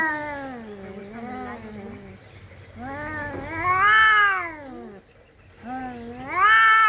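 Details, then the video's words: Fighting domestic cats give drawn-out, wavering yowls that swell and fade, pitch bending up and down over several seconds, with a louder rising howl near the end after a brief lull. "kucing berantem"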